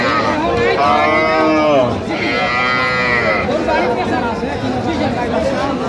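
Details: Cows and calves at the Ambari cattle market, recorded 24 October 2025; two overlapping harmonic moos, the second higher and rising, over steady crowd chatter and speech in the busy marketplace.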